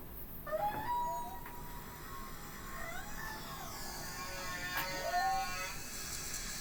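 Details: Whale song played back in a room as a classroom listening example: long tonal moans and sliding whistles, some sweeping upward, with splashing noted afterward; finding: whale.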